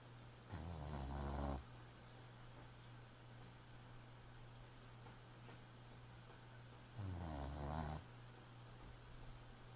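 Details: Sleeping Boxer puppy snoring at night, two low, raspy, rumbling breaths about six seconds apart, each around a second long, over a constant faint background hum.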